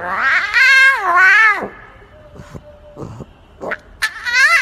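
A lion cub gives wavering, meow-like squalls, long and harmonic, rising and then falling away.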